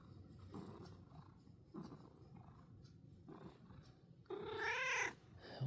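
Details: Domestic cat chirping indoors on a snowy day: three soft short trills, then a louder rising-and-falling warbled chirp near the end, with quiet room noise.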